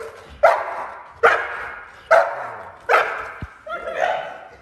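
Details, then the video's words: Eleven-month-old Neapolitan Mastiff barking during foundation protection training: five deep, forceful barks spaced under a second apart, the last one longer and more drawn out, with a faint sharp click near the end. "Neopolitan Mastiff 11 months old foundation protection training"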